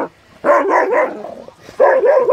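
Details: Dogo Argentino in a swimming pool giving two loud bouts of drawn-out, yelping barks with a wavering pitch, separated by a brief quieter pause.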